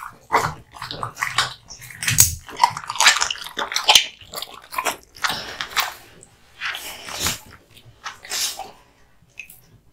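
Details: A male American Bully (Pit Bull) born 2016 chews raw meat and bones hung up for him: wet tearing, crunching and gnawing in irregular bursts, with occasional thuds, close up.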